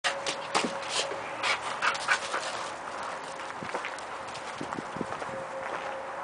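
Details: Young female Labrador Retriever at an adoption shelter, panting in quick, breathy puffs, with a steady hum underneath and occasional faint clicks.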